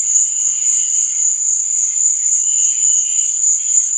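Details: At night, crickets keep up a bright, steady, high trill without a break, with fainter lower chirring swelling in twice.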